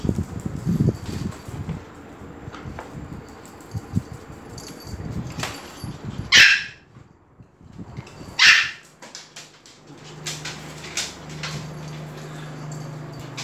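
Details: Excited dogs at Phuket Dog Resort greet the arrival of Fendi the Pomeranian; two short, bright barks two seconds apart break a stretch of low rustling and a steady hum.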